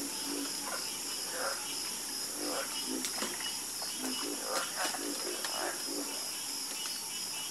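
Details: Frogs croaking after dark, uneven bursts of raspy croaks at varying pitch and loudness, some sharp clicky notes, over a steady high background hiss.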